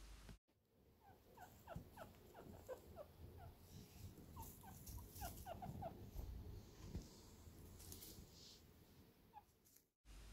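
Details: A chinchilla gives small, soft, quick squeaks in loose bursts, chatting noises chinchillas use to talk to each other, and even a single chinchilla makes them.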